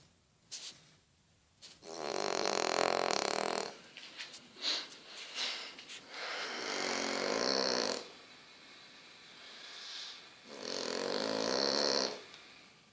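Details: French Bulldog snoring: three long, rasping, rumbling snores, each lasting about two seconds with short quiet gaps between them, plus a few softer snuffling breaths in between.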